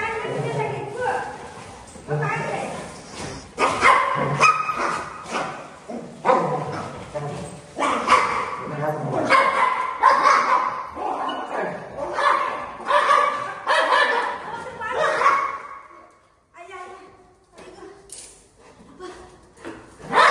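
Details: Golden retriever Buzo, a family pet, attacking a family member at home. Rapid, overlapping barks and yips run almost continuously with excited talking over them, then thin out near the end to a few scattered barks.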